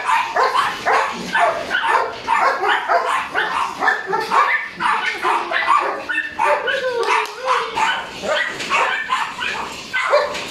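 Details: Speedy, a Border Collie puppy aged three months, builds drive with quick repeated yapping barks about two per second, mixed with short whiny rising yelps toward the middle.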